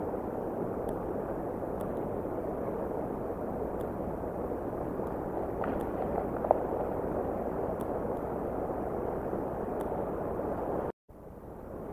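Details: A steady low rushing noise, like wind or distant traffic, runs throughout with faint ticks and a brief dropout near the end; no animal calls are heard.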